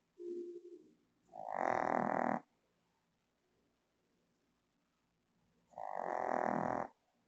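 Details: A female Shih Tzu fast asleep on her bed in the Philippines snores loudly, each raspy, rumbling breath lasting about a second.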